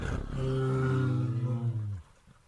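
A bear gives a deep, drawn-out roar with a strong low rumble that sinks slightly before cutting off.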